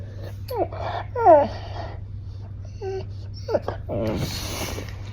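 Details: Golden retriever seeking attention indoors, giving a few short, high whines that bend up and down, with a low steady hum underneath and a burst of breathy noise near the end.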